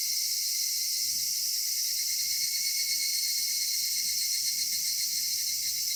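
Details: Evening cicada chorus in a summer cedar forest: continuous high-pitched ringing and hissing buzz in stacked bands, steady and unchanging, with soft low background murmur.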